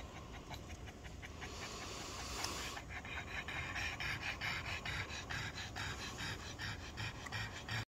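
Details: Softer panting from a black Pug and a Boston Terrier on a muggy late-night walk in the heat. A brief rustle comes early, then a run of fast, airy breaths to the end.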